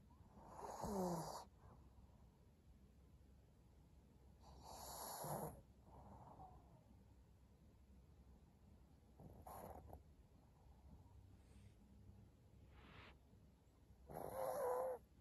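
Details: Maria, a senior pug, recorded indoors on 14 April 2022: four short, wheezy snorts spaced several seconds apart, each about a second long, with soft breathing in between.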